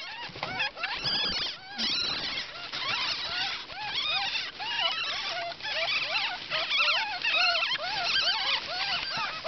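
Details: Ten newborn ferret kits from an unexpectedly large litter keep up a steady chorus of thin, bending squeaks. Many overlapping voices chirp up and down in pitch over a low background rustle.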